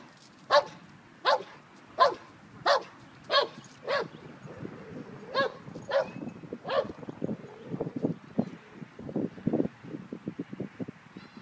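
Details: Five-month-old German Shepherd in a park, practicing the stay command while other dogs pass by; a run of about seven sharp, evenly spaced barks over four seconds, then scattered softer barks and rustling against faint background noise.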